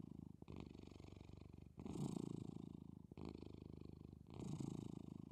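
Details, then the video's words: A domestic cat gently purring as it sleeps and breathes slowly: a continuous, low, vibrating drone, louder on every second breath phase, with short quiet breaks between in and out breaths. "Cat Gently Purring"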